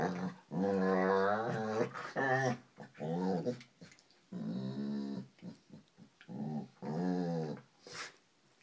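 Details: Female dog growling during play with another dog, sounding like an elephant seal; long, deep, rumbling growls with a strong harmonic buzz, several bursts of one to two seconds separated by short pauses, indoors.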